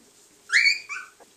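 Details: Cardigan Welsh Corgi puppy at three weeks old lets out a clear high whine that sweeps upward, then a second shorter, lower whimper, over a quiet background.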